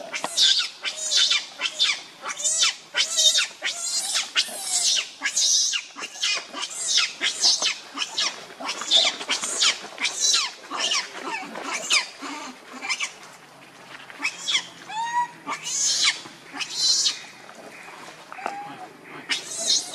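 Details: Hungry baby monkey crying and begging its mother for milk: loud, shrill, harsh screams in rapid bursts, many per second in clusters, continuing almost without pause through the recording, some cries breaking into tonal wails.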